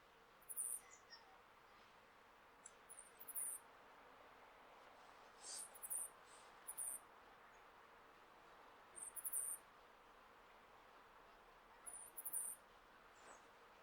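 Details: A male flying squirrel in Hokkaido, calling to attract females in breeding season, gives very high, thin, squeaky chirps, often doubled, in short bursts every two to three seconds over a steady soft background hiss.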